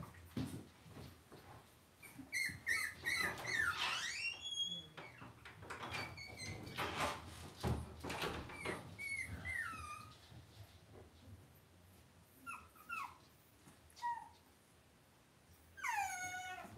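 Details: Cavalier King Charles Spaniel puppies in a puppy pen inside a home: high, squeaky whines and yelps that sweep up and down in pitch, several overlapping in bursts, with clicks and shuffling bumps of movement between them.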